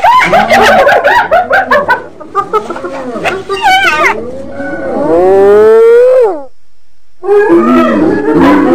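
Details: Hyena producing low, looping, arched hoots in quick succession over chattering notes, then one long whoop sliding upward and dropping off, a short silence, and more chatter.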